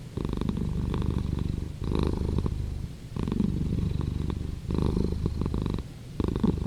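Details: Domestic cat purring steadily: a deep, rumbling low drone that swells and fades with each breath, in phases about three seconds long, with brief quieter gaps between them.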